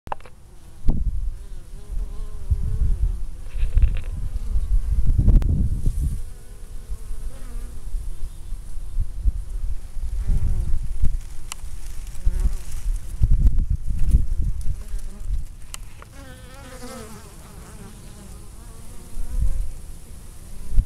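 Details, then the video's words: Honey bees in Minnesota on a 60-degree mid-November day, returning to the hive from foraging with orange pollen on their hind legs, stockpiling for winter; a dense, droning buzz with wavering harmonics as many bees fly past, loud wind-like low rumbles. "Bees getting ready for winter - storing pollen"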